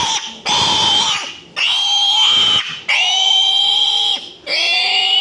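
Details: Domestic piglets squealing while being given iron injections on a farm in Assam: four long, loud, high-pitched shrieks, each held steady for about a second with brief gaps between, a voice talking in the background.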